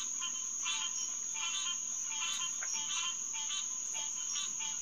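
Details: Chorus of green tree frogs (Hyla cinerea) at Headquarters Pond, night of June 2, 2021, near 9:10 pm. Honking calls come in a fairly even pulse, roughly eighty per minute, over a constant shrill insect drone.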